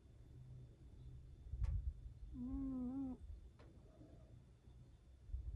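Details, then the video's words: Domestic cat snoring: a single drawn-out, whistly, tonal snore lasting under a second, with low rumbling breath noise around it in a quiet room. "как храпит кот"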